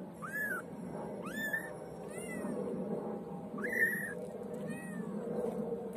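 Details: Young white female kitten mewing repeatedly: five or six short, high-pitched meows that sweep up and then fall, coming roughly once a second against a constant low murmur of room noise.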